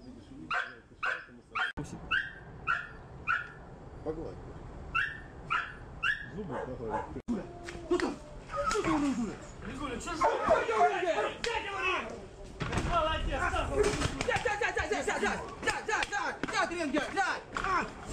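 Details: Pit Bull versus Pit Bull during training and fighting: evenly spaced barks roughly every half second for several seconds, then a chaotic tangle of growls, yelps and human voices.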